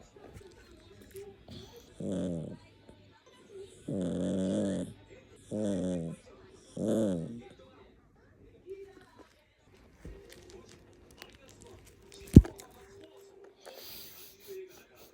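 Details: Maltipoo indoors grumbling in anger at being ignored: four low, rough, buzzy vocal bursts about a second each, spaced roughly every one and a half seconds, then quiet with faint rustling and a single sharp knock.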